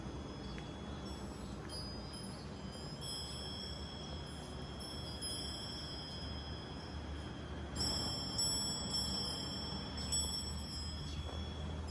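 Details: A metal wind chime rings with clear, sustained high tones over a soft outdoor hiss, growing louder near the end, with no animal calls.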